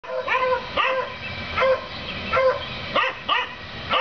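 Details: Neighbours' domestic dogs barking at their rabbit, a daily occurrence, recorded 7 April 2014: a run of short, high-pitched, bright ringing yaps in quick succession, roughly one or two each second, with little pause between them.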